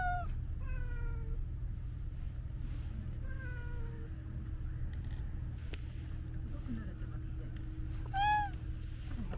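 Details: Domestic cat repeating soft, descending meows several times against a low, humming background. A short, louder, arched meow comes near the end.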